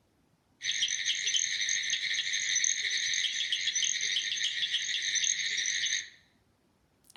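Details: Southern cricket frogs, tiny frogs under an inch long, in Alabama at the start of frog season give dense, high clicks like marbles knocked together, running into a steady rattling chorus for several seconds before stopping abruptly.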